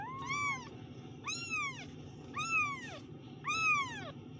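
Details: Kitten meows repeated about once a second, four loud, bright mews that rise briefly and then slide downward, against a faint steady hum.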